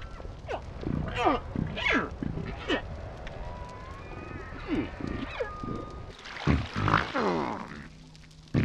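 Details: Quiet humpback calf calls, kept soft so killer whales cannot overhear: clustered descending squeals and grunting sweeps, a long steady tone through the middle, then a burst of overlapping harmonic cries near the end.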